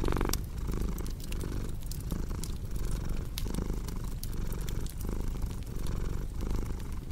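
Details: Low, soft purring from a cat, its rumble swelling in regular breath cycles, with intermittent crackles and pops of burning wood in the background.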